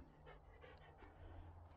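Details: Standard Poodle named Chloe on an outing near Ketchum in Sun Valley, Idaho, panting softly: quick breathy huffs at about three per second, over a steady low rumble of wind or handling noise.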